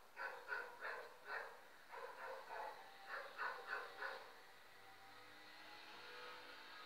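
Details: Shih Tzu Leonie, a little female dog, playing with her blanket, gives a quick series of about ten short, high, yelping yips over four seconds, then falls quiet with faint background hum.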